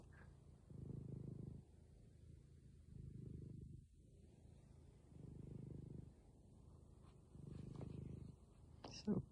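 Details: Black cat with diabetes, resting on a couch, purring in four swelling low rumbles about two seconds apart while a woman speaks softly over it; a brief clatter at the end.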